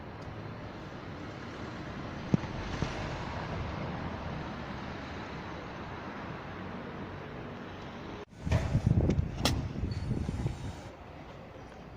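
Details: Steady outdoor road traffic rumble and wind, then a sudden louder burst of vehicle and handling noise near the end, with no animal voice.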